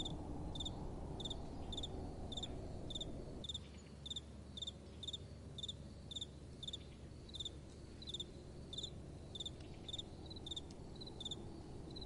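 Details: Crickets at night keep up rapid, shrill chirps nearly twice a second; wind is strong at first, then drops away after a few seconds, leaving the chirping clearer.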